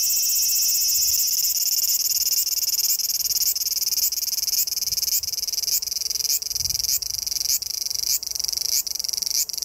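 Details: Cicada in forest along Japan's Tokai Nature Trail below the Yoro Mountains: high buzzy pulses about every half second, each ending in a brief upward swell, forming a rapid rhythmic throb, with faint low thumps.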